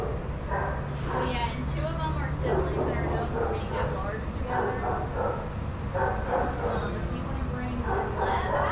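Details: Adoptable shelter dogs romping at a daycare give a string of harmonic barks and short yips, some voices overlapping, above a constant low-pitched background drone.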